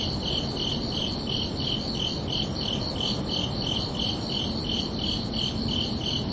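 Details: Evening cricket chirping at night in summer: crisp, high, evenly spaced chirps, about three a second, over a constant low background rumble.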